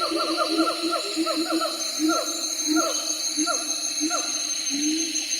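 Siamang giving quick, repeated hooting notes that swoop and rise, over a steady high insect drone.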